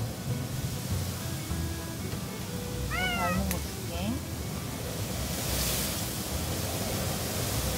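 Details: Indoors on Jeju, a domestic cat makes two brief, bending meows about a second apart, amid steady background hiss and a woman's faint talk.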